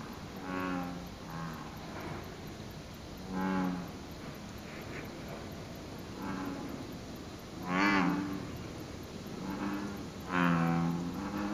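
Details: American bullfrogs in the lotus pond beneath the Izumi Bridge at Izumi Nature Park, Wakaba-ku, Japan, dated 06/07. Low, throaty, bellowing notes come at irregular intervals of a few seconds, some closer and louder than others, over a quiet outdoor hiss.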